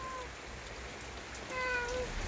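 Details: Lonely stray boss cat in the countryside, said to always roam alone; after a quiet stretch it gives a single short, faint harmonic meow near the end, over a steady background hiss.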